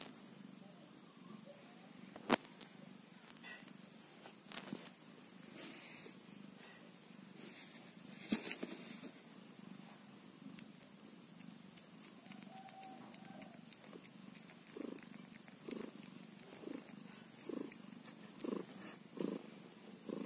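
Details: Soft, continuous purring from a kitten only one day old, a low pulsing hum with scattered clicks and faint short higher sounds toward the end.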